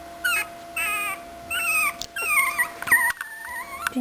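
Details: Aportos, an 18-day-old puppy that cannot yet walk, gives short high whimpers that slide downward, spaced irregularly, followed by a longer wavering cry over a faint steady electrical hum.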